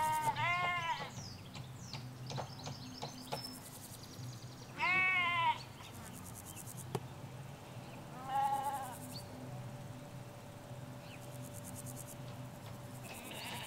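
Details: Hampshire field of ewes and lambs picked up on stereo M5s microphones halfway along a hedge: three loud, shaky bleats at roughly four-second gaps, with faint birdsong and distant low traffic rumble between them.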